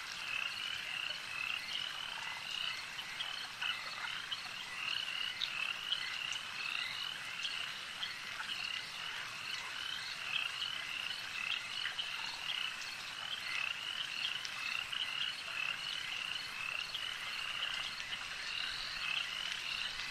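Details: Lakeside frog chorus: overlapping high, pulsed croaks keep up an unbroken rhythmic buzz, rising and falling gently in loudness.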